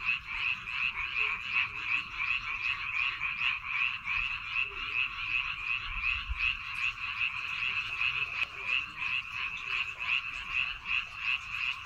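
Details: A chorus of frogs in the rice paddies of Baengnyeongdo Island, countryside setting: many overlapping croaking callers producing a constant rapid throbbing trill, with a few faint low thumps in the background.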